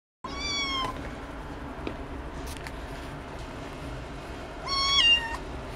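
A Ragdoll cat gives two clear, high meows, a few seconds apart.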